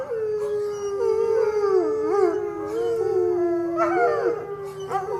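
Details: Howling dog holding a sustained mournful tone with strong harmonics, the pitch wobbling and rising briefly in small yelping inflections before settling back down.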